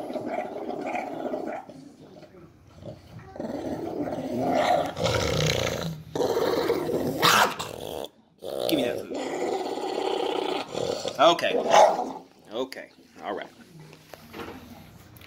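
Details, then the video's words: Tank, an 11-year-old dog who gets mad when bothered while eating, growls in long rumbling bursts with short breaks, rising in intensity around the middle and again near the end, with a person's voice teasing him over his food. "Our crazy dog Tank getting mad while eating"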